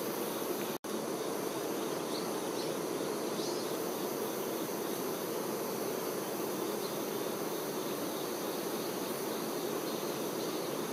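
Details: Worker honey bees attending the queen, a thick, continuous droning buzz from many insects, briefly cut by a split-second gap near the start, then steady to the end.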